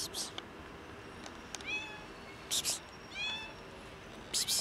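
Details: Kitten jumping onto a bench for some breakfast, giving two short, thin meows that rise and fall, about a second and a half apart, among soft clicks and rustling thuds.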